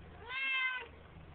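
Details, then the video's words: Talkative Siamese cat sitting in a bathroom sink, recorded indoors on a flip phone: one clear, drawn-out meow lasting about half a second, steady and slightly falling at the end, in a quiet small room. "Siamese cat chillin' and meowing in bathroom sink."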